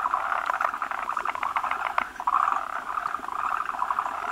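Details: Forest green tree frogs assembled at a spawning site where many males cluster on a large female producing a frothy egg mass; busy overlapping chattering pulses with short rattled trills, steady throughout.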